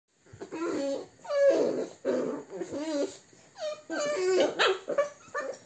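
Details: American Staffordshire Terrier recorded on 29 April 2022, giving a run of drawn-out whining vocalisations with wavering pitch, about five in quick succession with short gaps between them.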